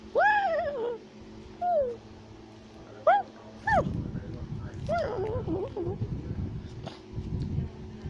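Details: Tufted capuchin shouting and chattering as it climbs a tree in South America: a few sharp arched yelps spaced about a second apart, then rumbling low noise underneath fainter squeaks.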